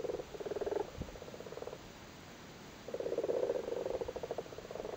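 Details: Frogs gathered on spawn in a flooded cattle grid in Cork, Ireland, during the spawning season: rapid rattling croaks, a burst of nearly two seconds, a silent pause, then another long purring run from overlapping callers.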